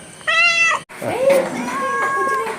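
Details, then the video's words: Pet cat meowing while its owners chat with it at home: one clear, steady, slightly nasal meow lasting about half a second, followed by a woman talking to it in Malayalam. "Chatting with cats / പൂച്ചയുമായുള്ള ഒരു കുശലാന്വേഷണം"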